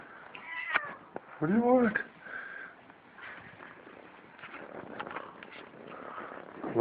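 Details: Kitten making funny vocal sounds while eating: one arched, whining mew in the middle, surrounded by faint clicking and murmuring, while a person speaks quietly to it indoors.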